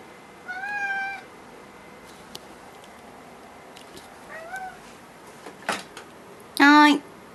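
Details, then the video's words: Indoor Norwegian Forest Cat meowing repeatedly after its returning owner rings the door chime, wanting the door opened: a first meow near one second, a softer one mid-clip, then a loud strained wail at the end, with a faint steady hum. "ユーリの鳴き声 （20120307） The cry of Juli."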